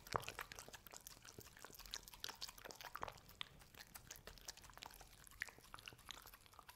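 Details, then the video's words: Indoors, the dog Hazel chews a homemade dessert of carob, oats, ube and chicken. Quick, wet, clicky bites and licks come in an uneven patter against a quiet room. "Dog eating Ube Roll and Cookie Cat from Steven Universe | Satisfying Eating Sounds"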